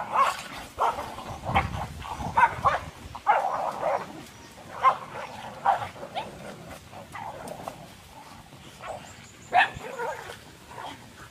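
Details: Dogs locked in a dangerous fight, giving harsh, snarling barks and growls in short bursts every second or so, the louder yelps spiking near the start and end, over a low rumble of scuffling.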